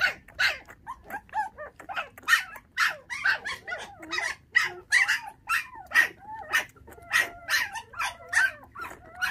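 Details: Orphaned puppies, five in a litter, bottle-raised on milk after dog thieves took their mother at six days of age; high arching whines and yelps repeat steadily, roughly two to three per second, with clear harmonics throughout.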